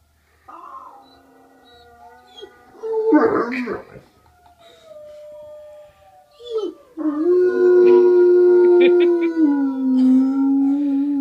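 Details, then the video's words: A Great Dane howling indoors: after a person's brief questioning words, the dog gives a short yelp, then a long sustained howl that holds steady and slowly falls in pitch, with rich overtones. "Great Dane howling"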